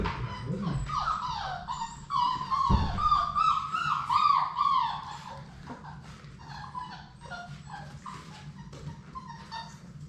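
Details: Six Labrador Retriever puppies with their mother in a puppy play room, waiting for solid food: high whining whimpers and yips overlapping, strongest in the first five seconds, fading to softer whines later.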